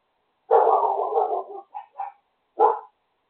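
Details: Dogs belonging to a neighbour barking in the morning: a long harsh drawn-out bark followed by two short yelps and one more sharp bark, in otherwise quiet surroundings.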